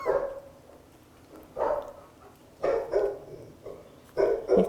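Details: A mini Australian Labradoodle puppy yells and barks in short, sharp, mid-pitched yaps about every second, during a desensitization session in which a recording of barking dogs is played at increasing volume.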